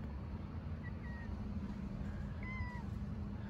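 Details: Stray street cats, a calico among them, sitting on stairs on a cold winter day and meowing for food and affection: two faint, short, thin meows over a steady low rumble.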